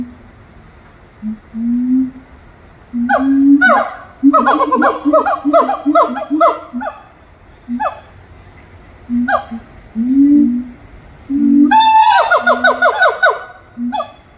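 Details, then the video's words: Monkeys singing at Little Rock Zoo: scattered low hoots build into rapid, quavering bursts of downward-sliding whoops, pausing, then resuming with a dense, fast trill of calls near the end. "아름다운 노래 부르는 원숭이들"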